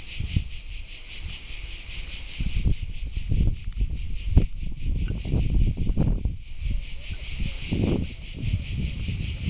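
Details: Cicadas at Alberese, Italy: an unbroken shrill, high buzzing drone that holds steady throughout, with loud low thumps, rustling and handling noise below it.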